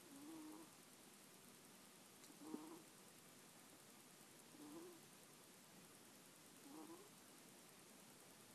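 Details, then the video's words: Sleeping middle-aged ferret kept as a pet snores gently, captured by iPhone on 26 January 2014: soft low breathy puffs like 'poo-poo', four in a row roughly every two seconds, with a faint click and steady hiss behind. "フェレット ★ つつましく鼾（いびき）をかく"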